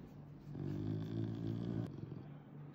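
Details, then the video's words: At a veterinary clinic, an angry caracal intimidating staff gives a short, deep, throaty growl that rises and fades over about two seconds, with a faint click near the end. "angry caracal hisses at vet staff"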